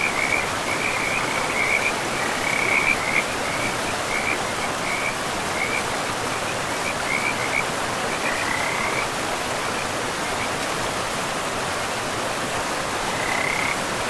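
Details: Frogs in a pristine forest beside a river, giving short trilled, mid-high croaks in bursts through the first nine seconds and again near the end, over a steady rushing wash of river water.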